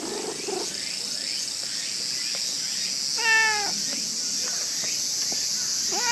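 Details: Female brown stray cat in Japan being petted, giving one clear, tonal meow midway, with another beginning at the very end, against a constant shrill insect chorus.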